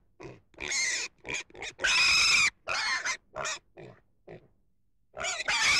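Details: Domestic pig giving loud, harsh, noisy squeals in a string of short bursts of varying length, with a longer, strained squeal in the middle and a sharp burst at the end.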